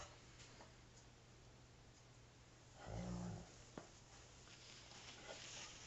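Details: Five-week-old female Alaskan Malamute pup at play with her father indoors: a single short, low, harmonic grumble midway through, followed by a sharp click, over constant room hum and faint rustling.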